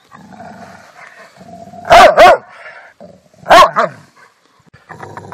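A Rottweiler gives deep, forceful barks in quick pairs between low rumbling growls.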